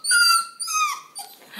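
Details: A Redbone Coonhound pup, just woken from his nap and wanting to play, whines in high, drawn-out tones that slide downward and break off; he likely needs to go out to pee.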